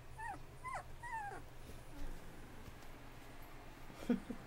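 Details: Bullmastiff puppies 2.5 weeks old, eyes newly open and trying to walk: three soft, high whining squeaks in the first second and a half, each sliding down, then quiet rustling and a faint yip over low hum.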